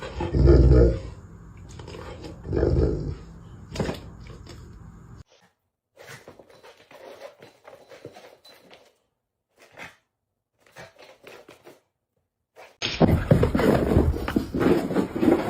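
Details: Dog indoors making deep, rumbling growls in two heavy bursts, then a quieter stretch of scattered scuffling, and finally a loud, rough growling roar at the end.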